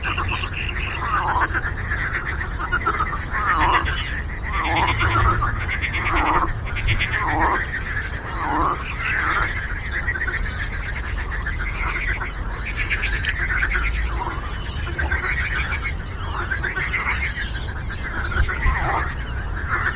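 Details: Frogs croak together on a lake in a busy symphony, rapid pulsed rattles and drawn-out croaks repeating every second or so over a continuous low rumble.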